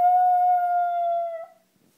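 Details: A pet dog howling at a squeaky toy: one steady, level, tonal howl lasting about a second and a half, then dropping slightly in pitch before fading into silence.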